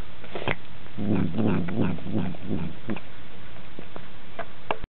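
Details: A pulsing low growl from Sardonicus, a cat said to growl nonstop, even during meals: rapid rumbling bursts over two seconds, then fading into scattered crisp clicks and ticks.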